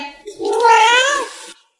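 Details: Pet cat indoors giving one drawn-out, tonal meow of about a second, rising slightly and then bending down at the end, with rich stacked overtones and a faint lead-in before it.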